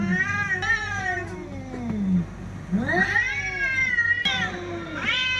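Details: Cats in a fight, a low descending growl-yowl followed by several rising-and-falling wailing howls from higher voices, steady low humming pulse underneath.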